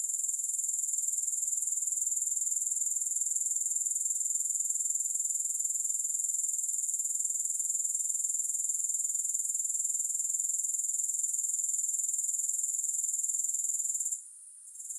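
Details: A continuous grasshopper chorus without music: a thin, high, pulsing trill, even and unbroken for fourteen seconds, then a sudden short drop-out at the end.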